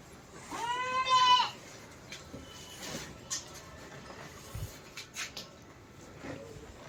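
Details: A Barbari goat on a rooftop goat farm gives one nasal, wavering bleat lasting about a second, then quiet follows with scattered metallic knocks and clatter.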